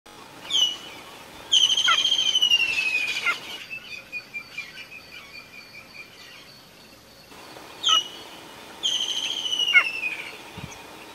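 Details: A cheetah mother in Phinda, Zululand, South Africa gives high, bird-like chirps that slide downward. She is calling her cubs, hidden in high grass, to a safe place.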